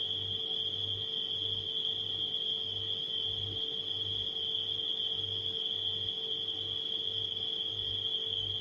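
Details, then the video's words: Unbroken shrill chirping from nighttime crickets holds one high pitch throughout, mixed with the deep, pulsing drone of a humming refrigerator. "Crickets & Refrigerator Humming Sound"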